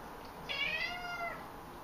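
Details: Pet cat indoors in a bathroom, crying because it wants to use the toilet: one drawn-out, slightly wavering meow lasting under a second, with a steady electrical hum in the background.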